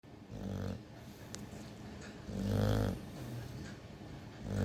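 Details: Pet dog snoring loudly enough to wake itself up: deep, rumbling snores in long swells roughly every two seconds, with softer breathing between them, indoors.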